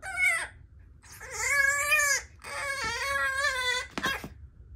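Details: French bulldog puppy whining to be taken out, drawn-out harmonic cries that waver and bend, three long whines with brief gaps, a low hum underneath indoors.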